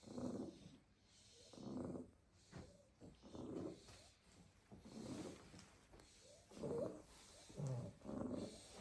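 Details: Sleeping Staffordshire Bull Terrier puppies heaped together in a basket, worn out after playing all day in the garden; steady throaty snores roughly every second and a half, some breaths ending in a higher squeaky whistle.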